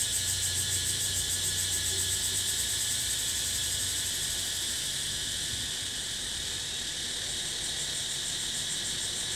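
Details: Natural cicada chorus recorded in the wild: a dense, continuous shrill buzz that pulses rapidly and stays steady throughout, with a faint low hum underneath.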